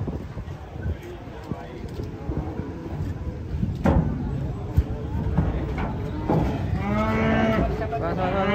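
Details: One of two giant cattle, agitated and running wild as it comes off a truck and frightening onlookers, gives a low moo that rises toward the end, with excited voices calling out warnings and clattering noises around it.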